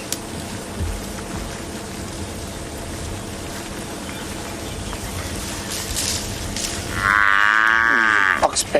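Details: African buffalo herd on a sunset safari drive in South Africa gives a drawn-out, cattle-like lowing moan after several seconds of low rumble and faint voices; the vehicle is surrounded by the grazing herd, possibly trailed by lions.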